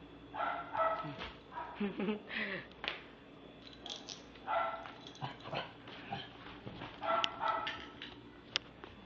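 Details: Pomeranian/Maltese cross, a male aged three, barks in a run of high, tonal yaps spaced one to two seconds apart. A quiet human voice and light handling noises sound between the barks.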